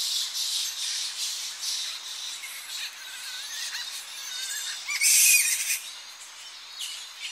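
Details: Coastal roost of Tonga flying foxes at early morning as the colony comes back to the trees; continuous high squealing chatter with wavering whines and one loud piercing screech near the end.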